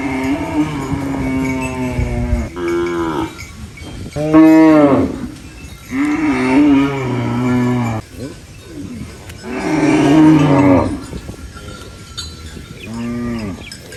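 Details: Cows munching banana leaves on a farm call out with a series of moos, some long and level, others short and arched, spaced every few seconds with quieter chewing and rustling between.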